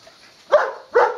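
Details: Leo the dog barks during a game of fetch, giving two abrupt, forceful barks about 0.4 seconds apart, each rough and mid-pitched with a quick decay, in a quiet room.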